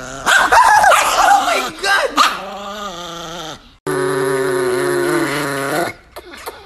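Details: An angry Chihuahua gives harmonic, wavering snarls in short loud bursts over the first two seconds. After a brief gap comes one long, steady growl lasting about two seconds that slowly dips in pitch, then fades to quiet.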